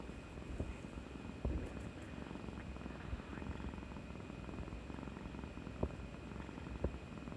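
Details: Kuri-chan, a pet cat, seeks affection after being a good girl for a vaccination shot on 18 March 2020; a continuous low throbbing purr fills the recording, broken by a few faint clicks and small knocks.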